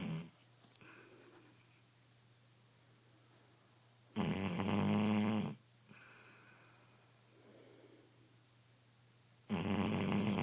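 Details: Shar Pei dog snoring loudly in its sleep indoors, with harsh, raspy snores about every five seconds. Each snore lasts over a second and is separated by soft, quiet breaths.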